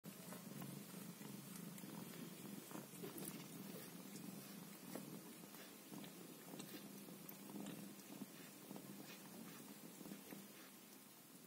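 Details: Scottish Fold mother cat caring for her Scottish kittens, purring in a steady, continuous low rumble throughout, with scattered soft clicks and rustling close by.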